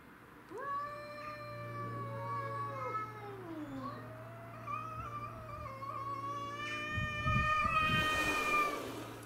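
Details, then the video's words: Territorial fight among domestic shorthair cats, two pets and a grey-and-white neighbourhood stray; sustained rising and bending yowls overlap continuously, growing louder toward the end amid scuffling noise over a steady low hum. "Cat Fight"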